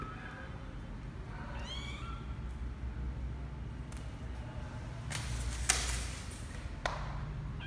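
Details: Twelve-day-old kitten Misoka, a male, leaving the box for the first time, January 12, 2020; one short, sharp upward-sweeping squeak of a mew, followed by a few clicks and rustles against a constant low hum.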